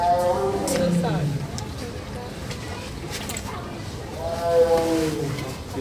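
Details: Koosaka, a tiger at Philadelphia Zoo, gives two long, groaning roars that slide downward in pitch, with people talking nearby.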